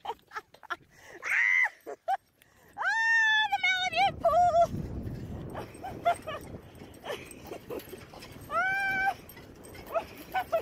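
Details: Alaskan Malamute out by a river with a beach bike, giving several drawn-out, wavering whines and woo-like howls, some rising and falling. People talk in Spanish and laugh between the calls.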